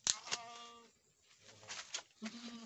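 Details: Boer goat on a farm in Nepal, where a first-time doe has given birth to a male kid; short bleats with stacked harmonics open the recording, followed by fainter bleats and background murmur.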